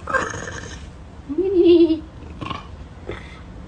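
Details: Panther grumbling at bad weather: a short, low, tonal grumble with a slight rise and fall, bracketed by a human voice and a few faint clicks and rustles.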